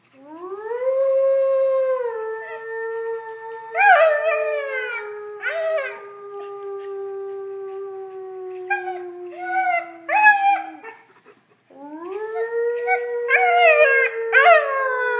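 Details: A blue German Shepherd puppy, a few months old, howls along with its owner in long, steady, mid-pitched notes broken by short, wavering yips.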